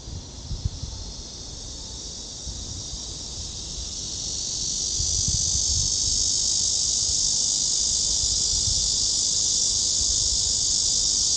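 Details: Cicadas singing in summer at Gwanggyo Lake Park, Suwon, Korea, on 16 August 2022 during a walk along the trail; a high hissing drone that swells louder midway and holds steady, with low footstep thumps beneath.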